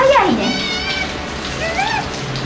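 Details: Asian small-clawed otters at an aquarium in Japan, recorded on 1 December 2021 at morning feeding time; a loud squeal that swoops steeply downward, then a softer rising-and-falling squeal about 1.5 seconds later over a light background hiss.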